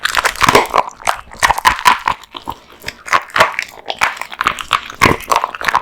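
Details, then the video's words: Male American Bully named Kotetsu devouring raw meat and bones: loud crunchy bites and wet smacking chews in quick bursts, a short lull near the middle, then steady chomping again. "大食い犬ASMR】デカ盛り生肉ランチを豪快に食べまくる愛犬の飯テロ動画MUKBANG Dog eats raw meat bones"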